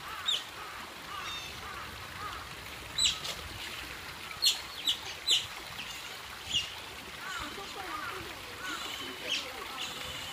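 Asian small-clawed otters trade short, high, squeaky chirps, several voices overlapping at irregular intervals over a steady background of softer chatter.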